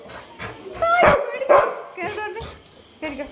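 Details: Labrador dog giving several short, high whines and yelps, some rising and bending, while a person talks to it in Malayalam throughout.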